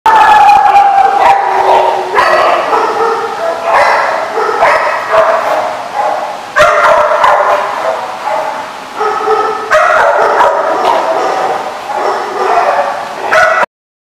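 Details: Dogs barking at a kennel lot, recorded 7/6/15: loud, dense overlapping barks and yips from several animals, harsh bursts repeating almost continuously with only brief pauses, ending abruptly.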